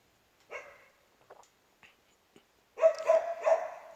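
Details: Native Korean Jindo dog barking indoors: a single short bark, a few faint clicks, then a burst of three loud, harmonic barks in quick succession near the end.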